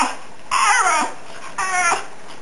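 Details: Lassie, a Fox Terrier cross about nine or ten years old, talks to her owner indoors with two drawn-out whiny, wavering vocal bursts, the first sliding up then down, the second shorter; a car revs nearby.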